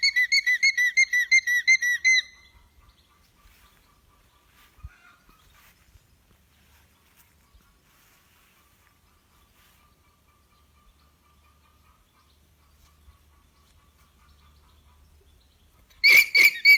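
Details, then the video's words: Alpaca alarm call signalling danger: a rapid run of shrill, high, harmonic-rich pulses for about two seconds, then a long near-silent stretch with faint low rumbles, and a brief shrill burst returning at the very end. "Alpaca Alarm Sounds"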